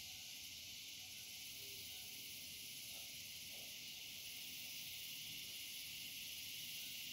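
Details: Cicadas at dusk: a steady, unbroken high-pitched hissing buzz fills the whole stretch without pause, with faint low background rumble beneath.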